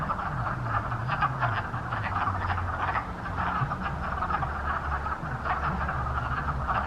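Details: A dense chorus of wood frogs at Cranberry Bog on March 11, 2020, with many overlapping hoarse, duck-like clucks over a faint low hum.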